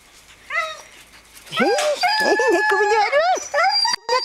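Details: Seven-week-old Greenland Dog puppies from three litters playing together in a farmyard at Tinka's Kennel in June: a short whine, then a run of overlapping high yelps and squealing, arching whines from several pups.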